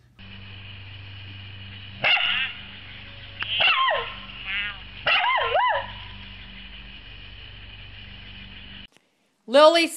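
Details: Mona Lisa, a pet Pembroke corgi, lets out sliding, whiny yelps that rise and fall in pitch, bunched between two and six seconds, with a sharp opening note and a final yelp at the end, over a steady electrical hum.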